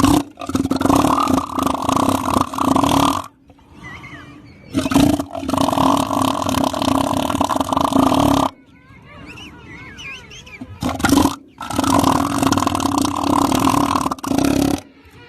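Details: Elephant seal lying sluggishly on a beach lets out long, loud, rumbling burps in three drawn-out pulsed bouts of three to four seconds each. Shrill, squabbling bird calls fill the quiet gaps between them.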